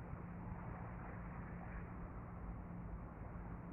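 Steady low engine-like rumble with a faint hum, and no animal voice.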